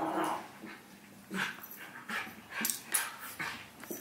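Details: Howie, a six-month-old Havanese puppy, and Remy, a miniature schnauzer, wrestle playfully indoors; a drawn-out low growl starts things off, then short whiny grumbles and scuffling bursts come at irregular intervals.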